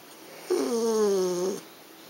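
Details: Yorkshire terrier female, angry and complaining because she cannot reach a treat inside a clear box; a single drawn-out, slightly falling whine lasting about one second, indoors in a quiet room.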